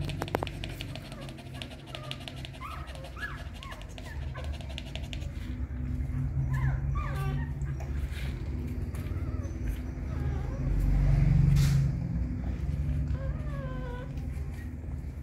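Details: Hungry newborn puppies nursing from their mother dog, giving thin, rising-and-falling whimpers and squeals in short bursts, with a steady low hum and soft suckling noises underneath.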